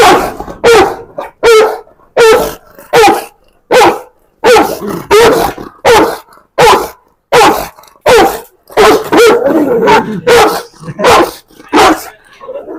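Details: A very large dog, called the biggest in the world, barks in a steady insistent run of about sixteen loud barks, roughly one every three-quarters of a second, with a faint background murmur.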